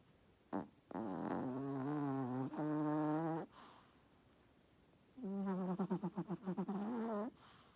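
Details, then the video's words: Chihuahua asleep beneath a blanket, snoring loudly: two long droning, buzzy snores with stacked harmonics, the second breaking into a fluttering, pulsed rattle, separated by a quiet pause. "Chihuahua snoring"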